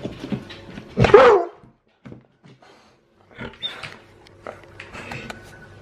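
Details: A male Alaskan Malamute gives one loud, harsh woo-like vocal burst, begging excitedly at feeding time.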